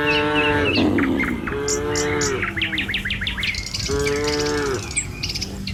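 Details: Tame village cattle moving along a road toward their pen in the morning: three sustained, harmonic moos in quick succession, the middle one sliding downward, over light bird chirps.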